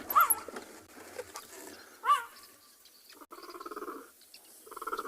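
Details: A male cheetah on an afternoon safari in a South African game reserve, 11 March 2021, gives loud, high chirping yelps, calling to find his brother; such calling may attract hyenas or leopards.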